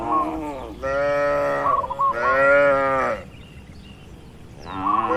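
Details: Cattle in an oil palm plantation, a herd being moved along by a herder. Two long, full moos of about a second each, a quieter stretch, then another moo begins. No music is added.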